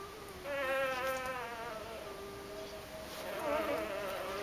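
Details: Doberman puppies, woken up for feeding, give high, wavering whines rich in harmonics, one drawn-out bout early and another quivering bout near the end, with a faint room hiss underneath.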